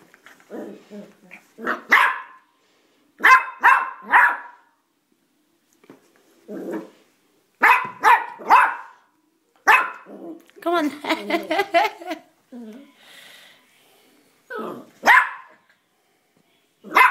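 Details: House dog stuck on the stairs, refusing to come down, barking in short bursts of one to three sharp barks separated by silences, with a whiny yelping run near the middle and a person calling encouragement.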